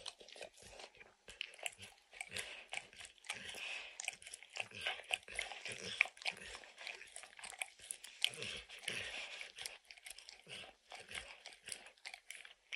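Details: Dog that loves to lick, snacking on peanut butter and kibble lodged in an orange mat, producing dense crisp smacking clicks and wet tongue sounds in quick succession, with brief quiet gaps.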